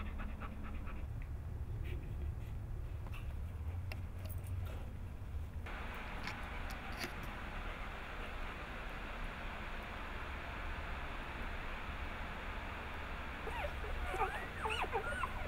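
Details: Hannah, a Bernese Mountain Dog, pants while giving birth at home to the first of her nine puppies on July 16, 2013; steady breathy rasping fills the recording, with a few faint high squeaks near the end.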